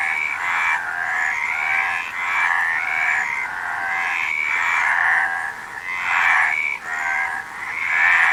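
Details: Many frogs calling together, a buzzy, trilled wall of sound that rises and falls gently over several seconds, with occasional short gaps and faint rising whistles on top.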